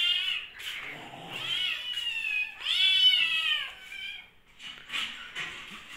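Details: Hungry kittens during lockdown crying indoors: a series of high, harmonic meows, some long and bending downward, others short, with quieter cries after a pause.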